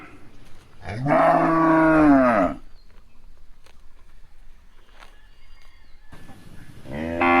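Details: Cow among cows eating grass, giving one long, loud harmonic moo that rises and falls over about a second and a half, then a quiet pause before a second moo begins near the end.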